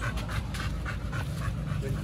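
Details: Dog, one of Oli and Nomy, panting excitedly outside the house after coming home from a dog hotel, before a raw meal; breathy broadband puffs repeat about three to four times per second over low rumbling background noise.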